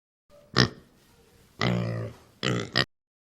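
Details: Domestic pig in a children's farm animal lesson, giving three short, harsh grunting bursts: one at the start, a longer rough grunt in the middle, then a quick double snort at the end, with quiet gaps between.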